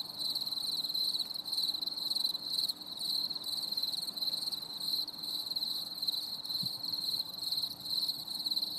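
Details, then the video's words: Stormy summer evening with crickets chirping: steady high-pitched pulsed trilling from several insects, rhythmic short gaps, a faint steady low tone and one brief knock midway. "CHANT GRILLONS"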